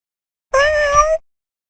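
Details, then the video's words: Domestic cat giving a single clear meow, about 0.7 seconds long, steady in pitch with a slight rise toward the end, on a quiet background. "Cats Meowing (Meow Sounds )"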